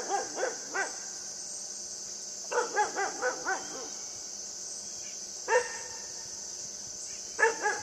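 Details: Puppy Yufie yapping in play with a buck: rapid runs of bright, bouncing barks, then isolated single yips, all layered over a persistent high insect chorus.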